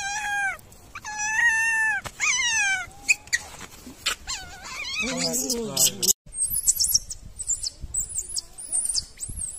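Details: Baby macaque in the wild, bullied by its mother, wails loudly: long drawn-out tonal cries that fall in pitch, repeated several times, turning into rough wavering sobs, then ending in thin, very high squeaks.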